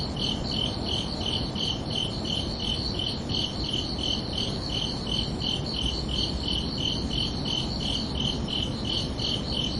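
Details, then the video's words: Night-time cricket chorus on a summer evening: evenly spaced high pulsed chirps, roughly three per second, continuing without pause above a broad low-frequency murmur. "Calming Cricket Sounds for Relaxation"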